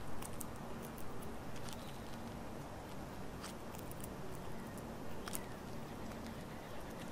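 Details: A male squirrel eating birdseed and nuts at a feeder gnaws, with sharp crunching clicks scattered over a low, steady outdoor rumble.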